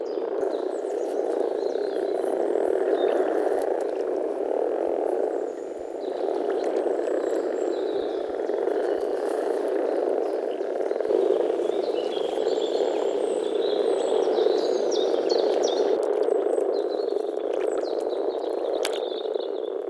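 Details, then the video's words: Many frogs croaking in spring at a wetland in the Czech Republic, a continuous low purring chorus of rapid overlapping calls, dipping briefly then building again, with scattered high bird twitters in the background. "European frog calls"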